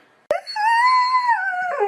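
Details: A TikTok 'talking' dog makes a sharp click, then a drawn-out, fairly high whine that rises gently, holds, and bends downward at the end. It is heard against an otherwise quiet background.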